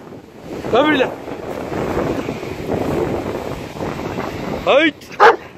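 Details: Dobermann named Achill enjoying a day at the sea, giving a short sharp bark near the start and two more close together at the end, with wind rumbling on the microphone and a man's voice giving commands between them.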